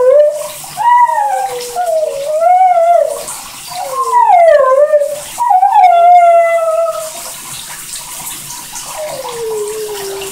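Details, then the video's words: Airedale Terrier howling under the shower, with wavering, undulating notes that rise and dip in quick bends, then one long descending tone at the end, under loud splashing water. "Airedale terrier Singing in the shower"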